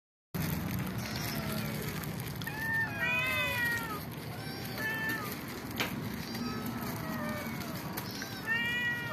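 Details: Several house cats and kittens meowing at feeding time while eating together indoors; repeated rising-falling harmonic meows in overlapping bursts, with low background rumble and faint voices.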